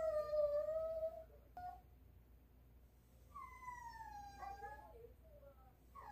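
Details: Morning whining from pet dog Ttolttori, who wants meat that is still thawing; a long wavering whistle-like note, a pause, then a falling whine and a few shorter broken whimpers.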